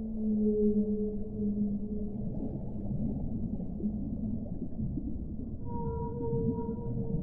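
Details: Whale calls: a low sustained moan fading out early, a rumbling gap, then a new higher steady tone with overtones starting near the end, set against constant underwater noise.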